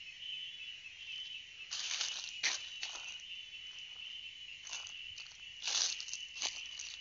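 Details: Chorus of cicadas: a continuous high, even whine runs throughout, repeatedly overlaid by loud crackling and rustling bursts, likely footsteps or handling.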